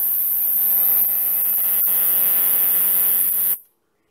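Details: Male sword-bearing conehead katydid (Neoconocephalus ensiger) singing at night in a temporary enclosure: a continuous, very high-pitched shrill buzz that cuts off abruptly after about three and a half seconds, over a low steady electrical hum.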